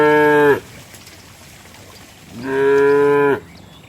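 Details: Cows running through mud: a loud moo cuts off at the start, then after a quiet gap a second strong, steady moo of about a second rises and ends abruptly.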